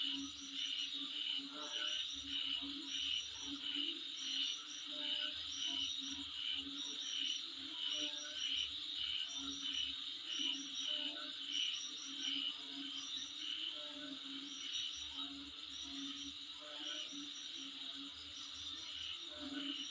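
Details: Insects sounding in front of a home over twenty seconds: a high, even buzzing wall of sound with repeated bright whistled pips, some doubled, and a muffled low beat below.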